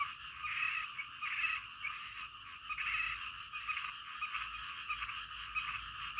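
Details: Frogs calling in the middle of the night, a dense chorus of pulsed croaks between roughly one and three thousand cycles, overlapping callers forming a rhythmic, throbbing wall of sound with no other clear noises.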